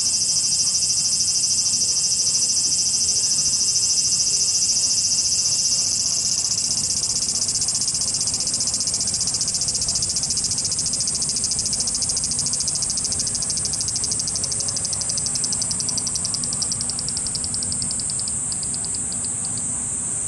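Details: Japanese cicadas in full chorus: an unbroken shrill high-pitched buzz, with a rapidly pulsing voice emerging in the second half and fading out, over faint low rumble.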